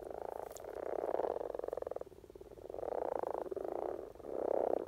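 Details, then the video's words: Rana temporaria courting in spring in Norway: three or four distinct rolling, purring croak bursts, each about a second long, over a quieter background of more frogs calling. "Common Frog Sounds - Rana Temporaria"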